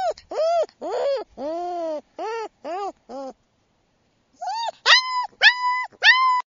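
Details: Silver sable male German Shepherd puppy, Gracie's Mr. Pine Green, whimpers in arched, harmonic whines, several long and low, then a short pause before a burst of higher, louder yelping whines.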